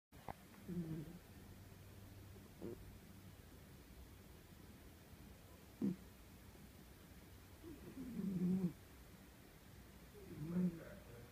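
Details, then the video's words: Old, lazy domestic cat snoring while asleep: soft low rasping breaths at irregular intervals, about three louder snores with gaps of several seconds, plus a couple of faint clicks over a quiet indoor background. "Can't have a pillow fight with a snoring cat."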